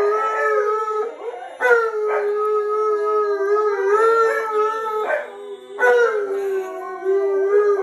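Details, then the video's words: An Alaskan Malamute howls along to the hymn "What A Day That Will Be", sensing his owner's grief, in long, wavering, mid-pitched tones that rise and bend, with brief breaths between phrases. "Malamute Sings What A Day That Will Be"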